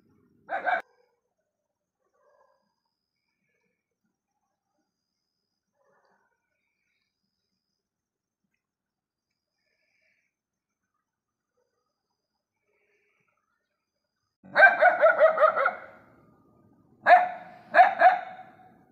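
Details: Stray dogs barking together at night: one short bark, a long quiet stretch, then a quick run of harsh, evenly spaced barks and two further close pairs of barks near the end, with no other clear sounds.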